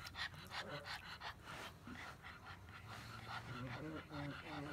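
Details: ['Pug grumbling with rapid snuffling bursts and low, throaty voiced rumbles that rise and fall, mixed with breathy snorts throughout.']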